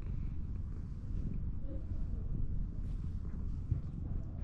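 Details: Cat with a sulky-looking face rolling over to show its belly while seeking affection; a steady, low, continuous rumbling purr fills the whole stretch with a faint soft rustle.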